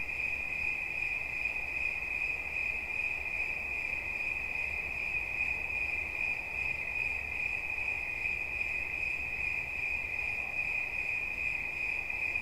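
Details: A cricket's unbroken, piercing trill stays level in pitch and loudness throughout, with a fine rapid pulsing and faint low rumble and hiss underneath.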